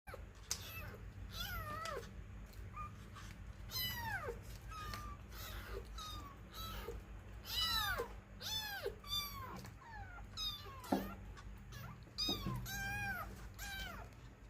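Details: A domestic cat meowing over and over, with many high, wavering, falling meows, some short and some drawn out, packed closely together over a quiet indoor hum.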